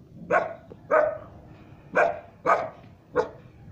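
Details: A three-month-old Siberian Husky puppy gives five sharp, harsh barks, spaced roughly half a second to a second apart, barking at the person because it does not know them.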